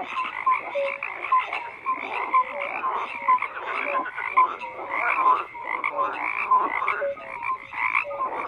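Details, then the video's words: A dense chorus of croaking frogs, many overlapping calls pulsing in repeated bursts about once a second, with short mid-pitched tonal notes scattered through and a steady higher croaking layer above. "FROGS CROAKING"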